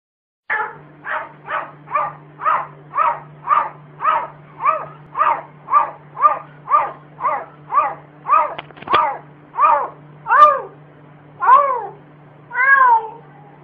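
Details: Cat that the owner says barks like a dog; about twenty short harmonic calls in a steady series, roughly one every half second, some slightly rising, steady low hum behind, indoors.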